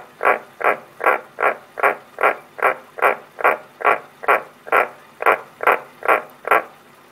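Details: Pet frogs indoors give a steady series of short, even croaks, about one every 0.4 seconds, some seventeen in a row with no break, in a quiet small room.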